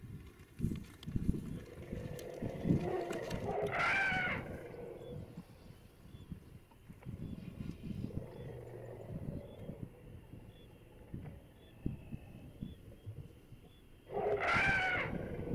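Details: A family of elephants emerging from the forest in the first morning sunlight in Africa gives two loud, brassy blasts about ten seconds apart over a low rumble of outdoor noise.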